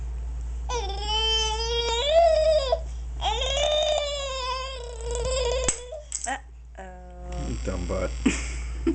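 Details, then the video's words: TJ the dog, just out of the bath, making strange gurgling noises: several long, warbling, whine-like calls that bend up and down in pitch, broken by short pauses, ending in choppy, stuttering sounds. "TJ making strange noise after his bath"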